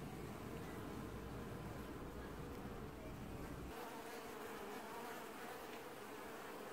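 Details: Honey bees of a colony washboarding at the hive in an apiary, early July 2019: a steady dense buzzing hum, with a deep low rumble filling the first half before dropping away.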